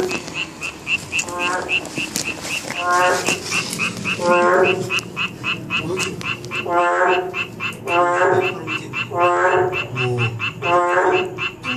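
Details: Narrow-mouthed toads calling in chorus: rapid buzzy pulsed croaks repeating about every second and a half, overlapping from several toads, over a steady high tonal insect-like ticking and a constant background hiss.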